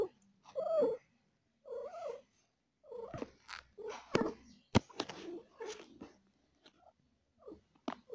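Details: Cat in labour with four kittens, feeling pain: two drawn-out, wavering moans open the stretch, followed by shorter clipped cries mixed with sharp clicks and thumps indoors.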